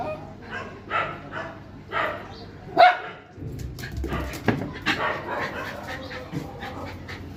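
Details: Pet dog barking: four sharp barks about a second apart, the loudest near three seconds, followed by a jumble of softer yelps, clatter and human voices in an indoor setting.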